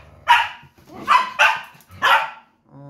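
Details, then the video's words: Domestic dog at play with a second dog, giving four loud, rough barks in quick succession, the middle two close together. A woman talks in Tagalog between them. "lakas ng boses ni Tucker | Playing dog"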